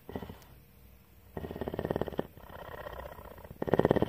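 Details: Female mountain lion purring in captivity at a Bridgeport, Texas rescue facility; faint purring first, then a strong throbbing burst, a softer stretch, and another loud pulsed surge at the end.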